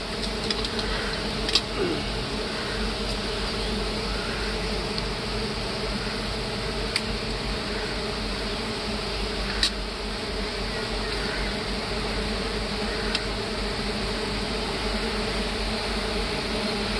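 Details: Continuous low drone from a mass of big honey bees disturbed during honey harvesting in hardwood forest. Occasional clicks and taps are heard, with faint voices early on.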